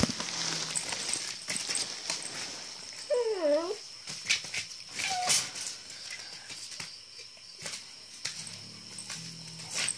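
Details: German Shepherd puppy in Imphal giving a brief run of wavering, downward-bending whimpers midway, then one short squeak, over scattered clicks, rustling and a steady high-pitched electrical whine.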